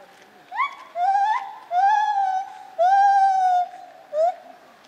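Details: Lar gibbon, or white-handed gibbon, calling at Zoo Opole in 2015: loud sustained hoots, some rising sharply, each held for most of a second with rich harmonics, in a rhythmic run of four to five notes.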